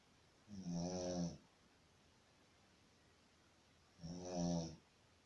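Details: Sleeping Shih Tzu snoring, two rough, humming snore breaths roughly three and a half seconds apart, each lasting nearly a second, separated by near silence.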